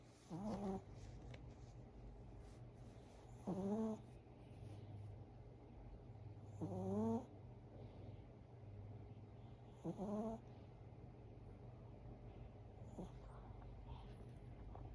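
A sleeping Chihuahua snores in raspy, tonal bursts about every three seconds.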